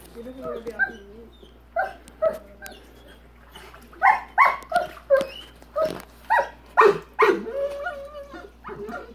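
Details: A man talks over the opening, then Rottweiler PHred, upset by the big rock in his swimming pool, breaks into a quick run of hoarse barks mixed with higher whining yelps.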